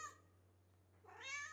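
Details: Cat indoors while a person speaking Malayalam points out milk; a short rising, harmonic meow comes near the end after a quiet stretch, over a steady low hum.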